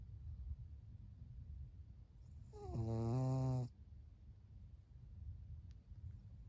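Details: Senior pug Maria, a fawn female aged 14, snores at home in Japan in June 2024. A single deep, rattling snore starts with a brief rising squeak and lasts about one second, with soft background hiss before and after.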